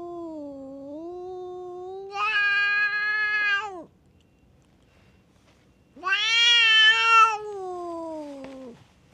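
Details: A cat fight among strays at a tavern on a cat island in Japan: wavering low moaning swells into a loud, harsh drawn-out yowl, silence, then a second rising, strained wail that falls away.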